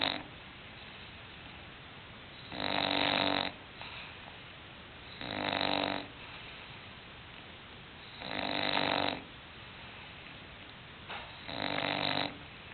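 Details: English bulldog snoring in its sleep: four loud, raspy, broad snores, each just under a second long, returning about every three seconds with quiet breathing gaps between them.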